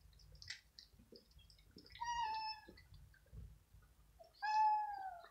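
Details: Cats and kittens arguing over dry kibble at evening feeding; two drawn-out, level meows with rich harmonics, the second louder, between soft taps and chewing sounds.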